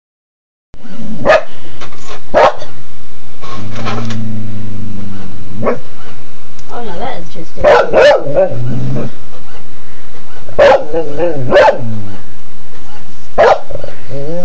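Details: A pet dog barks at a printer indoors: loud, sharp single barks in irregular bursts, about eight over the span, some in quick doubles, with a person talking in between and a low droning sound early on.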